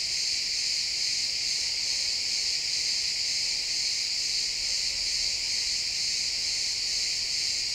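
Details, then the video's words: Crickets in a pine forest at sunset produce a constant high, buzzy wall of chirps, many callers blending into one even shimmer without breaks, and only faint low background hiss beneath. "Cricket sounds in the pine forest"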